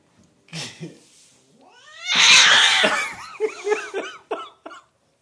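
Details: White domestic cat yowling: a few short low calls, then a long loud harsh wail with rising harmonics, breaking into a series of shorter wavering cries that fade out, recorded on a phone indoors.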